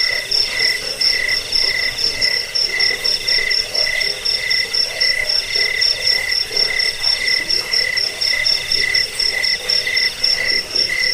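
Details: A chorus of crickets, played to drive away rats, help sleep and train cage birds, gives clipped chirps at a steady beat of roughly two per second over a continuous high, buzzy pulsing trill.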